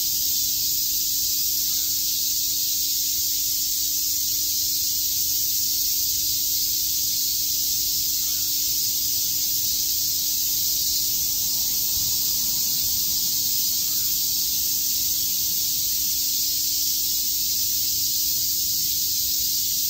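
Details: Cicadas chirping together on a summer day in Shakujii Park, Tokyo: an unbroken, shrill, hissing drone that holds steady for the whole stretch, with a faint low steady hum underneath.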